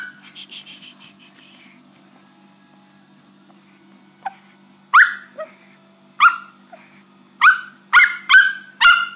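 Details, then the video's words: Pet Chihuahua Milky, behaving this way for three days after hernia surgery, lets out repeated sharp yelping cries, some with short whiny tails, spaced about a second apart and growing more frequent; faint hum behind. "My chihuahua (milky) like this for 3 days after hernia surgery."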